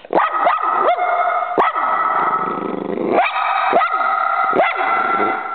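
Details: A dog reacting to a squirrel outdoors gives a continuous run of loud, ringing barks and yelps, each with a quick pitch sweep, about two to three per second and overlapping tightly.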